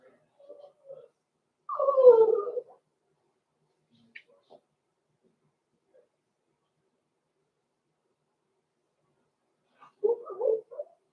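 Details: Blenheim Cavalier King Charles Spaniel puppies Roman and Blue, six weeks old, indoors in their pen: one loud falling yelp-whine near the start, faint squeaks, then a brief rough yip burst after a long quiet gap.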